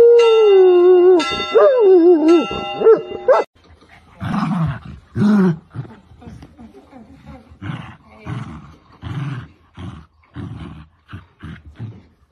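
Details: Komondor or Puli dog howling in a long wavering tone that rises and falls in pitch over about three seconds, mixed with ringing bell tones, followed by short barks, yips and voices.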